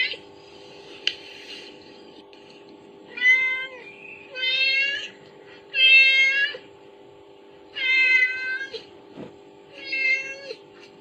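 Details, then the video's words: Kittens reacting to a mother cat's calling sound played from a phone, giving high, wavering meows in four clear bursts about every two seconds, over a steady electrical hum indoors. "Reaksi Anak Kucing Mendengar Efek Suara dari HP || Suara Induk Kucing"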